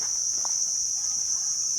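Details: Very noisy insects around a temple in the mountains of Chumphon, Southern Thailand, near a canyon-like local water hole after rain: a steady, piercing high-pitched whine that holds unbroken throughout, with faint footsteps beneath.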